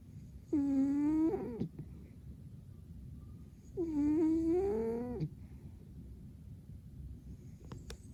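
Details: Domestic cat snoring while deeply asleep indoors: two drawn-out squeaky, whistling 'poo' tones about a second each, rising slightly, roughly three seconds apart, over a low steady background hum.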